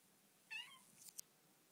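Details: Bengal kitten Dilly getting to know her new home, giving a single high meow with a rising then falling tone and rich harmonics, followed by a couple of faint clicks indoors.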